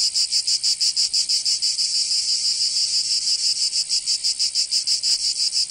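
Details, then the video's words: Summer cicada chorus in Provence, in the south of France. A shrill, high buzz beats in regular pulses roughly three per second, with a smoother, steadier stretch in the middle before the throbbing returns. "Canto Cigarra 🦗 [ Escuchar les cigarras en verano"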